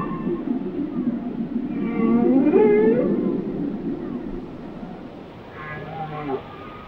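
A whale sings a long, moaning rising tone with harmonic overtones over a low underwater rumble.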